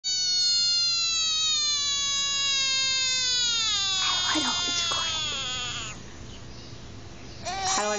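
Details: American bullfrog screaming: a loud, sustained harmonic wail lasting about six seconds, sliding slowly downward in pitch before fading, followed by a brief sharp cry near the end, with background music.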